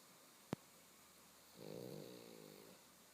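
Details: Snoring pug, said to snore awake or asleep: a sharp click, then one drawn-out rattling snore lasting about a second, harsh and nasal, in a quiet room.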